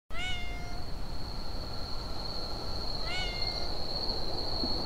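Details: Siamese cat giving two drawn-out, slightly rising meows about three seconds apart, over a steady high electronic whine and a low background rumble.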